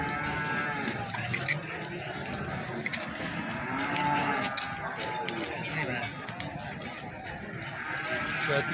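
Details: Lowing from feeder cattle at Plaosan market in Magetan, Indonesia, a mid-length moo rising from a dense bed of chatter, shuffling and clatter from the busy livestock trading ground.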